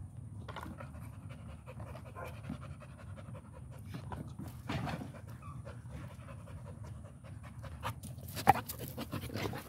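An American Pit Bull Terrier pants steadily in quick, breathy bursts, with a few louder puffs.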